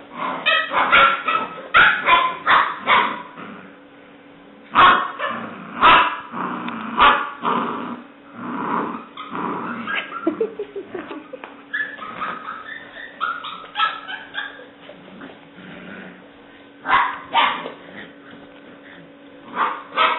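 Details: Seven-week-old female English Springer Spaniel puppy, black and white tricolour, recorded 17 May 2009, yapping in bursts of high, sharp yips and little barks during play, with quiet pauses between flurries and a person talking nearby.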